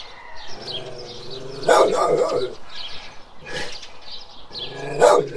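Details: Big guardian dog giving loud, rough barks in separate bursts, first a cluster of several woofs, then two single sharp barks a second or more apart.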